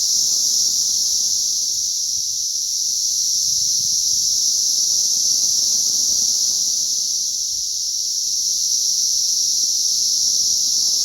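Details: Massed cicadas at a hatch on May 20th 2034 produce a relentless, sizzling high drone, even and unbroken, gently waxing and waning, over a quiet low background.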